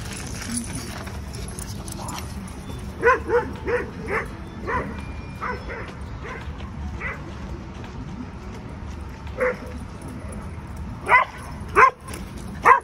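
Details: Albino, a 10-month-old Alaskan malamute puppy weighing over 100 pounds, at a dog park in New York City. Short sharp barks come in scattered bursts, louder near the end, over steady outdoor murmur.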